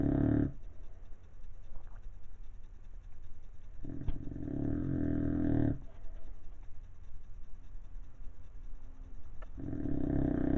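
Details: Bulldog snoring: loud rasping low snorts in long breaths, each lasting about a second or two and returning roughly every five seconds, with quieter breathing between, indoors.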